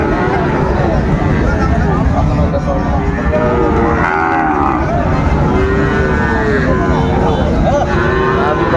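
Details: At Raniganj market, Dinajpur, on a Monday morning, 16 September 2024, a six-to-seven-month Sahiwal bull calf is among cattle giving several drawn-out, arching lowing calls, mixed with dense human talk and market hubbub.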